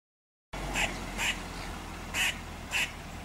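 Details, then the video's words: A female Eastern gray squirrel gives harsh, barking alarm calls from a radio transmission tower near her drey, protesting a nearby domestic cat. "GREY SQUIRREL ALARM CALL"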